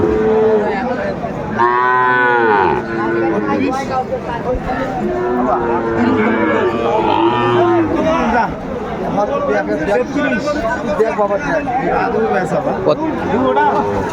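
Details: At Aftabganj cattle market, 7 May 2024, where a Brahmanbaria farmer buys Sahiwal bulls, one loud, arched bellow comes early, then weaker lowing amid continuous overlapping speech and crowd noise.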